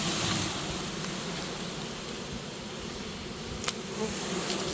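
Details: Swarm of honey bees entering a new home during capture: a dense, continuous buzz beneath broad hissing noise, loudest at the start, with a couple of sharp clicks after three and a half seconds.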